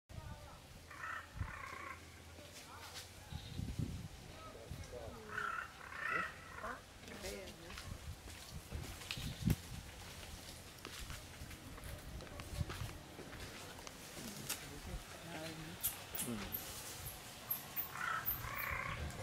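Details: Bonnet macaques relaxing near Gingee Fort in Tamil Nadu, southern India give short, harmonic, wavering calls in bursts over low rumbling background noise.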